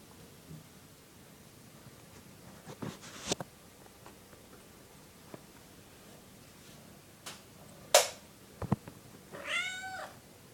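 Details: Kitten begging at night to be let outside, giving one drawn-out wavering meow near the end after scattered clicks and taps indoors.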